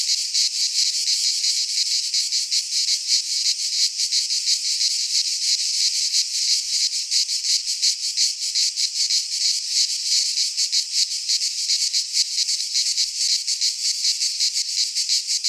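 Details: Cicadas in full midsummer song in a Greek pine forest, a relentless shrill buzzing wall of sound with fast rhythmic pulsation and nothing else audible.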